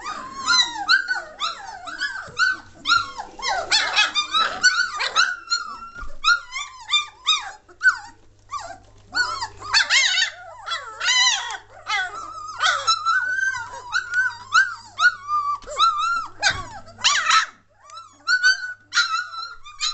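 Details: Lively three-week-old German Shorthaired Pointer litter from Katelands Gundogs, recorded 22 May 2014: a dense, nearly continuous chorus of high squeaky whimpers and short yelps from several puppies over twenty seconds, with a faint steady hum behind.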